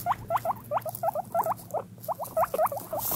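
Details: Pet guinea pig chutting, a gentle sound made when happy and comfortable, when moving toward a favourite treat or exploring a freshly cleaned cage: short soft clucking notes, about fifteen in three seconds, in uneven bursts.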